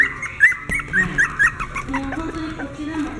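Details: Maltese × Toy Poodle cross dog, sired by a Maltese out of a Toy Poodle, giving a quick run of short, high, squeaky yips over about a second and a half, then softer whimpers, with background music throughout.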